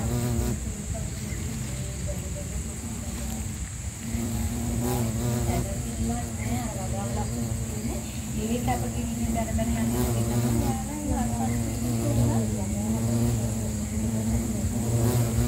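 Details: Bumblebee (Bombus pennsylvanicus) buzzing without pause in Sri Lanka, a deep droning hum with shifting, wobbling overtones that grows slightly louder toward the end, over a steady high background hiss.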